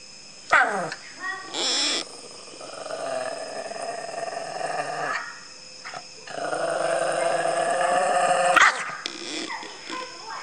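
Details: A cute dog in front of the camera gives drawn-out, tonal whining vocalizations, rising and wavering, with two short sharp yelps early on, over a steady high electronic hum.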